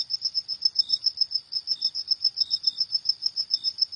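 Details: Cricket at night giving a shrill, rhythmic pulse series, about six chirps per second, with another cricket's fainter, lower notes interleaved; otherwise still.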